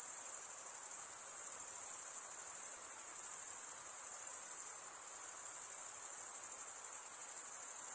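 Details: A summer night in the forest filled with chirping crickets: a thick, sustained, very high trill of rapid pulses, gently waxing and waning in volume, the only sound present.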